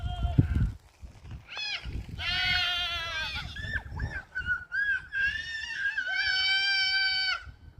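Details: Goats bleating while playing happily in the pasture, long quavering nasal cries with a trembling vibrato, several overlapping and held for a second or more, a brief thump at the start and rural background noise.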